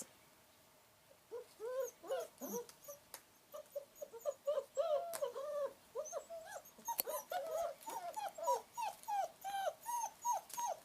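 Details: Long Coat German Shepherd puppies at play outdoors in the raindrops, uttering a long run of short, arched whining yelps, about twenty, growing quicker and more even toward the end, with scattered clicks and taps between calls.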